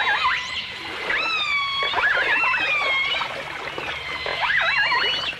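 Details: Dolphin song with orcas, from a 1989 stereo recording: a dense chorus of wavy, warbling whistles that loop up and down in pitch, several voices at once, with faint clicks beneath.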